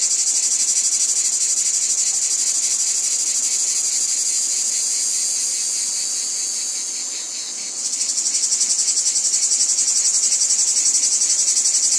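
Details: Wheat-field cicada chorus: a shrill, sizzling drone pulsing rapidly. It dips and softens around seven seconds, then snaps back louder with sharper pulses. No birds or people are heard.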